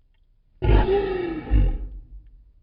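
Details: Lion; roar; marking territory and keeping in touch with the pride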